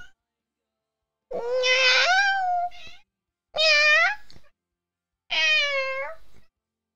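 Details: Pet cat indoors, talking back to its owner: three drawn-out harmonic meows, each about a second long, spaced roughly two seconds apart, the first one longest with a slight falling tail.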